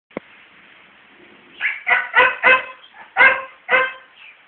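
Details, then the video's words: A male dog trying to win over a female dog to mate, without success, giving a quick run of six short, hoarse barks over about two seconds after a single sharp click. "A male Dog Trying to convince the female dog to have s3x with him"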